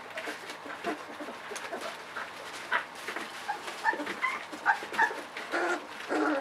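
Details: Ava's 3.7-week-old pups during the evening puppy-mush feeding. Brief whimpers and thin, rising whine notes come in uneven bursts, some clearly tonal, over a faint background hum.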